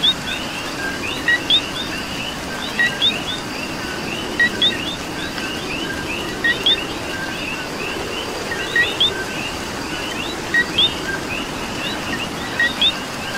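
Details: Rainy night-style soundscape from Puerto Rico with coqui frogs: a continuous layered chorus of brief whistled notes, with sharp two-note calls recurring roughly every one to two seconds over even rain noise.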